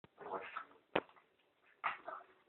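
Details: A female dog pulling on a person's pants makes odd, breathy grumbling noises in two short bursts, with a sharp click between them.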